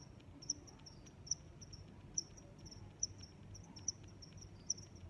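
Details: Regular high chirping of crickets, six bright pulses in five seconds, each about 0.85 seconds apart, over a faint sustained high trill and low background noise.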